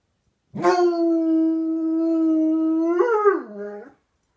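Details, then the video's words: Indoor hound dog howling back at a neighbour's dog, a sustained even tone held about two and a half seconds, then a brief upward lift and a falling, wavering drop as the howl trails off. "Houndog talking to the neighbors dog"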